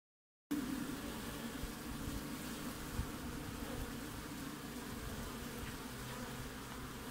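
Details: Honey bees active at the front of a hive in Australia in the middle of winter, 20 June: a steady, dense buzzing hum with a low drone band, starting after a brief silence and continuing evenly throughout.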